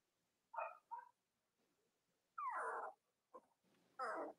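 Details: Cavalier King Charles Spaniel puppies from the litters of mothers Robin and Myra, indoors in the US on a chilly Monday morning near Halloween: short tonal whines and squeals in bursts, one longer falling squeal, over quiet room hum.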